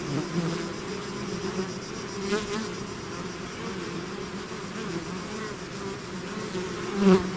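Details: A swarm of bees emerging from the hive fills the air with a constant low hum, with individual insects passing near at the start, around two seconds and loudest just before the end.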